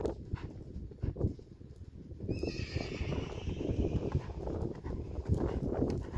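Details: Friesian horse from a herd, heard during a riding session: a high, harmonic whinny begins about two seconds in and holds for roughly two seconds. Steady hoof clip-clop and low rumbling continue throughout.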